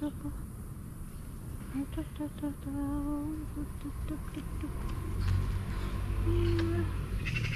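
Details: Young grey male cat with green eyes, affectionate, meowing and purring for love and attention: short tonal chirping meows repeated in quick runs over a steady low purring rumble, with a person's voice nearby.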